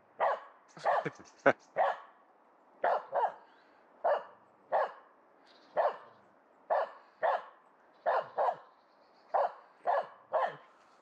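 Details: Coned after a right leg operation, Aamu the Finnish Spitz keeps barking at a squirrel in the local forest. Sharp barks come steadily, often in pairs, about every second, over a quiet background.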